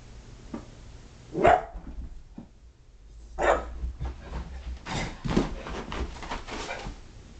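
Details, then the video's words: Five-month-old female boxer puppy indoors during a burst of energy, hiding under a futon; two sharp barks a couple of seconds apart, then scuffling and rustling, with a woman's voice nearby. "Crazy Boxer Puppy"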